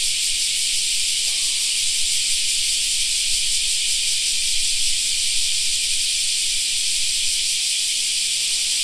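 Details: A steady wall of high buzzing from cicadas in a park during summer, with one brief, faint call from something else near the start.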